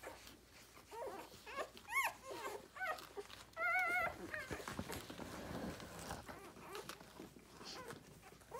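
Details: Six-day-old Rhodesian Ridgeback puppies from a litter born 9/3/2020, nursing on their mother indoors: several high, wavering whines and squeals, one held for about half a second, amid soft suckling clicks and rustling.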